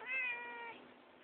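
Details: Tigger, a house cat enjoying organic catnip indoors, January 2011, phone recording; one clear, rich meow that starts high and slowly falls, fading into quiet room hiss.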